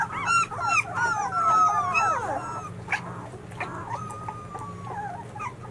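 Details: Young White Swiss Shepherd puppies, 13 days old and from a 2019 litter, whine and whimper in long, drawn-out tones that slide downward. Shorter yips break in over a soft low hum.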